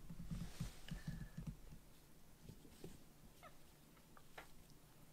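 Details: Sokkun, a rescued foster kitten with white 'socks' on all four paws, purrs affectionately on its carer's lap after sulking; low rapid pulsing purr in the first second and a half, then a few faint, brief higher squeaky sounds indoors.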